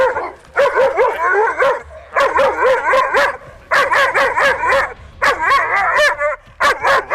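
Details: An 8-month-old female German Shepherd on a leash barks at another dog, reactive from excitement and frustration at not being able to go see it rather than aggression. Four loud bursts of rapid, wavering yelping barks and whines, separated by short pauses.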